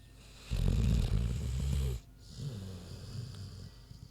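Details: Big pig Queenie snoring while she sleeps: one loud, coarse, rumbling snore of about a second and a half, followed by a weaker, breathy rumble.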